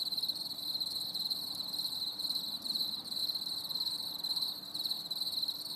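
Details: On a stormy summer evening, crickets keep up a continuous shrill trill, rapid pulses blending into a constant ringing band, with soft low background noise beneath.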